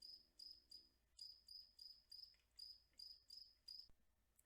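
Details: One cricket at normal speed chirps shrill and even, about ten short pulsed bursts in a regular rhythm, then falls silent near the end.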